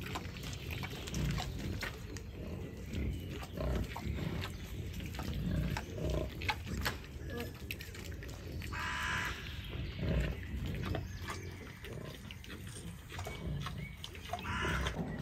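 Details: Wild boars, among them a large tusked boar, in a beech forest; deep snuffling grunts recur through the recording while a person talks quietly nearby and small birds call faintly.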